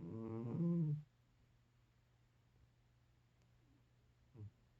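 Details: Sleeping 13-year-old cat snoring: one drawn-out, buzzy, low harmonic snore lasting about a second, then near silence broken by a brief soft snort toward the end, in a quiet room.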